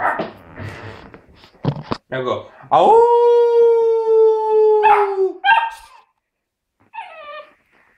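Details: Young tricolour Basset Hound, four months old, learning to howl: after a person's coaxing voice, one sustained steady howl lasting nearly three seconds that sags slightly at the end, followed by brief yelps.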